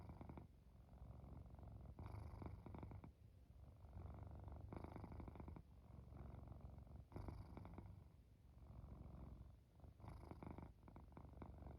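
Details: Domestic cat purring and snoring while falling asleep indoors; a steady low rumbling purr swells with each breath, louder phases roughly every two and a half seconds, with soft gaps between.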